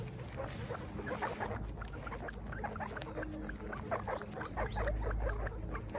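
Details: Baby guinea pigs out for a first picnic produce fast, irregular runs of short squeaking calls from several animals, with a low rumble of background noise.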